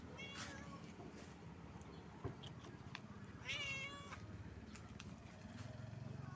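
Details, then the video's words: Stray cat living on the street gives a short wavering meow around three and a half seconds, with a faint earlier call, over low rumbling background noise and occasional clicks. "A Stray Cat Talks About His Brother's Wounds"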